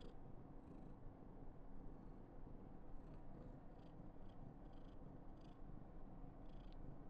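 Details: An affectionate female Somali cat named Karen, about 995 days old, keeps up an even, low purr, while brief breathy puffs recur roughly every half second to second in the latter half.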